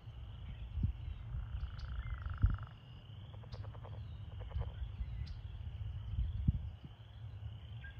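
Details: American toads calling in a breeding pool during breeding season, some in amplexus; a steady, high, musical trill holds for about two seconds, then shorter pulsed trills follow over low rumbling background noise and faint chirps.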